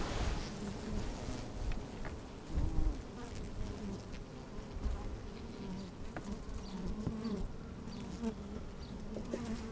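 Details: Honey bees working inside an open hive on a fine, sunny day, microphone slid down among them: steady low hum with harmonic bands, occasional louder buzzes and soft knocks, some wind rumble.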